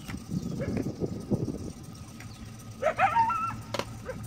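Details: A coyote at Lake San Marcos, California, heard from a boat around 5:30 pm, barks repeatedly for at least 15 minutes in short, sharp alert barks, some rising into yelps, after a large black cat was seen nearby.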